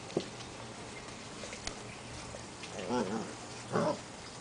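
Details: Portuguese Water Dog puppies, seven weeks old, playing outside: two short yelping barks with a wavering, harmonic tone near the third and fourth seconds, over a background of rustling and light clicks.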